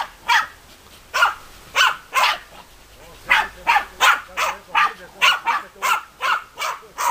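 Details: Deutscher Jagdterrier pair Bagira and Cox von der Fuchskralle start with spaced, forceful barks, then quicken into a tighter string, about fifteen barks in seven seconds.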